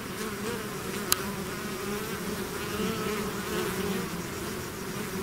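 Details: Bee swarm pouring out of its hive, a dense steady drone of many overlapping buzzing wingbeats with low humming bands, one sharp click near the first second.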